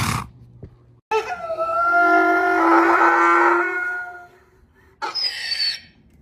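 A donkey gives a long, loud, harmonic bray lasting about three seconds, followed by a brief rough outburst.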